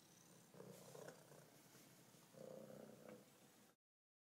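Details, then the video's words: A friendly F1 Savannah cat, a female, purrs in two rumbling, buzzy bursts separated by a brief pause while happily head-butting the table during a vet visit. "F1 Savannah Cat, overly friendly vet visit"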